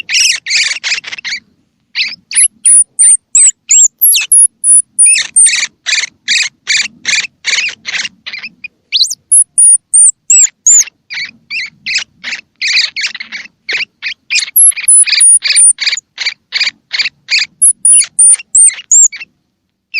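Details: Baby squirrel call, used to stimulate young squirrels, with eyes open or still closed, to feed: fast bursts of sharp squeaky chirps in quick runs, broken by short pauses, with thin high whistled notes slipping in now and then.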